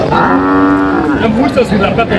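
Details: Cow at Aftabganj cattle market in Dinajpur, among cows and calves for sale. A single drawn-out, steady moo lasting about a second, over loud crowd chatter and market voices.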